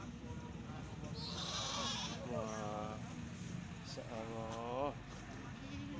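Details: Male goat, described as a rare goat, gives two quavering, wavering bleats of under a second each, about a second apart, while people talk nearby over a steady background hiss.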